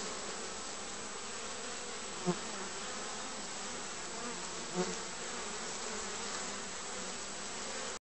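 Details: Hive bees coming in on 20 June carrying differently coloured loads; an even, broad buzzing hum throughout with two soft thuds as insects land.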